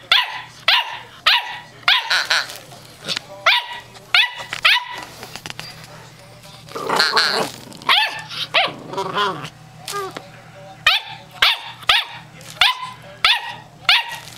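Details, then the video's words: Female German Shorthaired Pointer puppy, eight weeks old, giving her first barks at home: short, high, sharp yips repeated roughly every half second in bursts, with a longer pause midway. "Stromy's First Bark"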